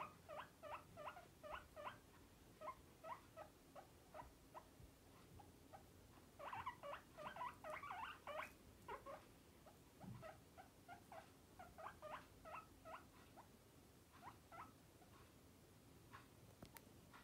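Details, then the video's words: Pet guinea pig Batosh gives a long series of brief, repeated harmonic whistles in uneven bursts, about three a second. Louder, denser squeaks come in the middle, then softer, spaced notes. Faint low background hum. "Морская свинка Батоша свистит Batosh guinea pig whistles"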